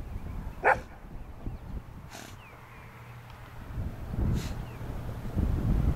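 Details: Old English Sheepdog herding sheep by barking: three separate barks spaced over several seconds, one loud and two fainter, with low rumbling background noise.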